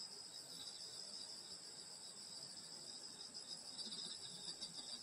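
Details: Summer-night countryside insects near a grandmother's house produce a sustained, shimmering high-pitched drone of overlapping trills, slightly pulsing, with quiet low-level rumble underneath.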